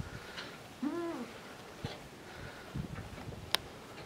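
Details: Miniature goat kids, the farm's first of 2019, at Domaine des Tourelles in France: one short, wavering bleat with a clear stack of overtones, then quiet room-like background with faint clicks and a sharp tap.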